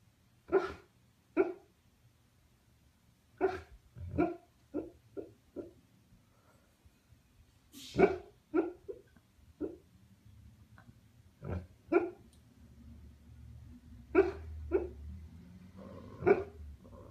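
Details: A sleeping husky, apparently dreaming, "talks" with soft, muffled woofs and little yips in irregular bursts.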